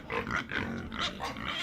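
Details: Pig oinking in a quick series of short, nasal grunts, about four or five bursts in under two seconds, with snuffling in between.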